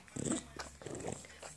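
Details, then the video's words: Indoor English bulldog, excited and licking its paws, gives a quick pair of throaty, snorting grunts with a nasal, rattling quality in a small room. "(english bulldog) making weird sound licking paws"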